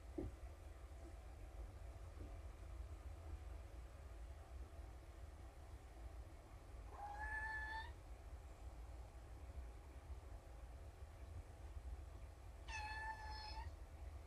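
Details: Four of five young kittens, found abandoned in a box by a road and now in a shelter, calling in the morning. Two faint, rising-then-level meows about five seconds apart over a steady background hum.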